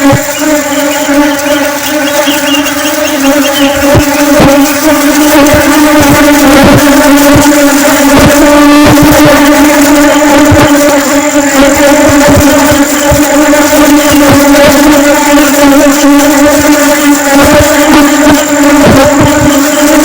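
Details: Flying honey bees make a loud, continuous buzzing drone. The low hum is rich in overtones and stays steady for twenty seconds, broken by scattered soft knocks and brief rushes of noise.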